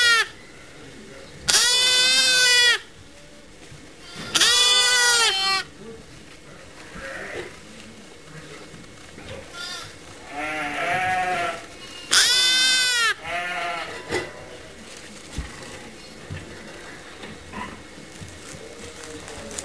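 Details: Motherless lambs in a pet lamb pen where they are watched and fed regularly; loud, tremulous bleats of about a second each come at irregular gaps, with quieter lamb calls and pen noises between.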